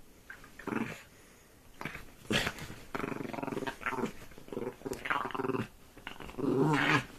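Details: Dog growling while attacking a duvet, a series of rough, throaty growls in short bursts, ending in a louder, sustained growl.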